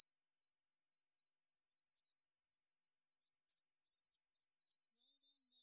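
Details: Song of Homoeoxipha obliterata, a cricket that changes its tempo: a continuous high silvery trill for about three seconds, then it breaks into rapid separate pulses roughly three per second.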